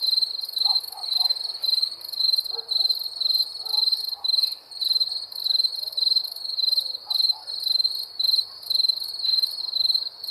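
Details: High, regular cricket chirps from wild crickets pulse about twice per second. Faint, lower chirping notes sound now and then in the background.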